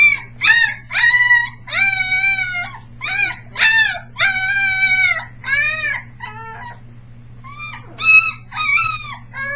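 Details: Siren practice by three-week-old Briard pups, filmed July 15, 2009; one male pup is very vocal and at times sounds like a peacock. Rapid, overlapping yips and bent whining howls, some longer and wavering, above a low electrical hum.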